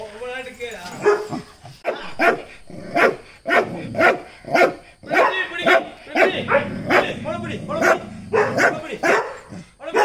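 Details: Small Dachshund on a chain, described as fearless and acting tough, barking steadily about every half second for ten seconds while people talk over it.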